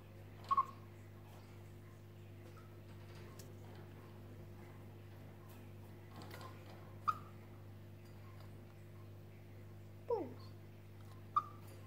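A chipmunk gives short, clipped chirps spaced several seconds apart over a steady low hum.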